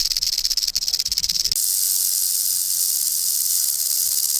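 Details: Warning rattle of a threatened rattlesnake: a fast pulsing, chattering buzz for the first second and a half, then smoothing into a continuous high hissing whirr that carries on to the end.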